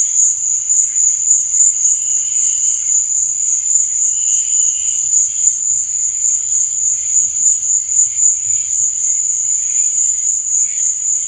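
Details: Crickets at night keep up a bright, high, ringing trill, fast and steady throughout, with occasional lower, softer buzzy notes surfacing beneath it.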